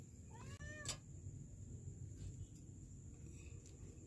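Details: Kitten trapped in a sewer in Kenya, December 2023: one short rising-then-falling meow early on, followed by a sharp knock and steady low background rumble.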